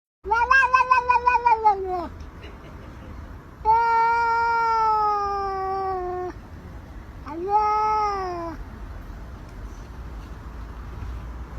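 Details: Domestic cat giving three drawn-out meows: a quick stuttering series of short mews, then a long steady wail, then a shorter falling meow, all clear with harmonics over a quiet background.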